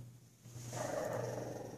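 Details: A teacup Shih Tzu attacking a blanket lets out a low, raspy growl that rises out of near silence and holds steady, with a buzzy edge, over a faint electrical hum.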